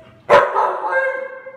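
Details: Samoyed dog described as cautious: one abrupt, loud onset that flows into a sustained, tonal, whine-like voice with steady harmonics, lasting under a second, then fading into quiet.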